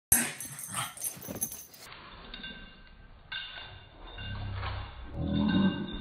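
A pug growls in a deep, slowed-down rumble that sounds almost bear-like.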